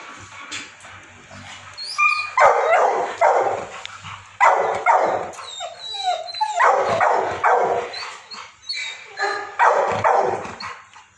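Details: Labradors at Raja Land Kennel in Ambala Cantt, Haryana, India, barking in loud clustered bursts of several sharp barks, pausing briefly between volleys, with faint higher yips layered over them.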